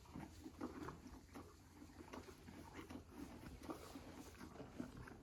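A donkey munches apples with wet, crunchy chewing in an irregular rhythm.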